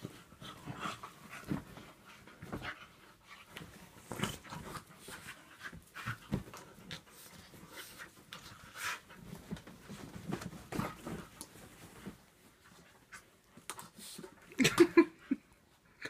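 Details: A Staffordshire Bull Terrier cross and a whippet during a play fight. Quick, breathy panting alternates with sharp huffs and scrabbling, then a lull before a final cluster of louder snorting breaths.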